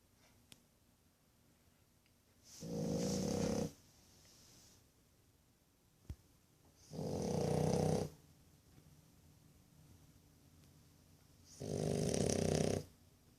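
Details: One-year-old French Bulldog puppy snoring after a hard day of playing: three loud, rough snores, each about a second long, spaced roughly four to five seconds apart, with quiet breathing between them and a faint click.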